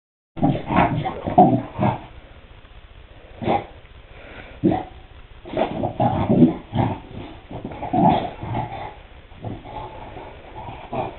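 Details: Chow Chow playing with a bone, making loud, rough, low growling bursts and short gruff barks that come in irregular clusters, with brief quiet pauses between them.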